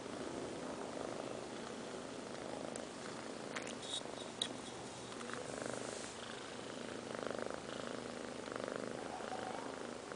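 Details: Sleeping five-month-old kittens Liz and Taby snore with a low, hoarse breathing rumble that rises and falls every second or two, broken by a few light clicks near the middle.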